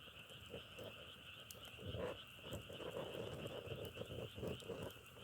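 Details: Frogs calling in a dense chorus: short low croaks pulse rapidly and unevenly, swelling in bursts, over a steady high ringing drone with scattered sharp crackling clicks.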